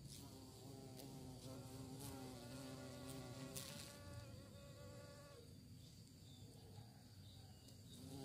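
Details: Bees searching for prey give a steady, droning buzz with stacked humming tones that waver and shift pitch. After about five seconds it fades to a softer, rougher hum under a constant low background rumble.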